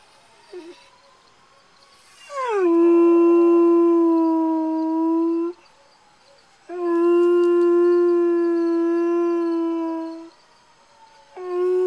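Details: A hound gives two long, mournful howls in response to hearing sirens in the distance on 13 September 2011, each sliding down at the start and then holding steady.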